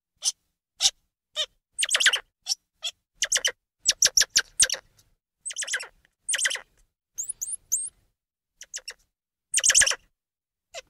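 A squirrel monkey calls in quick, high-pitched chirps and scratchy twitters, bunched into uneven bursts. Midway come a few thin, rising peeps, with brief silences between the outbursts.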